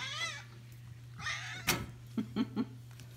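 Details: Indoor cat excited by catnip in a satchel, with its head stuck in a gate, recorded March 6, 2021: two high, wavering meows with rich overtones, a sharp click, then three short low thumps over a steady electrical hum.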